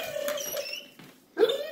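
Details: Indoors, Petunia the dog whines to get Stella to play, a dolphin-like sound: a steady tonal squeal, a short pause, then a second whine that rises in pitch at the end.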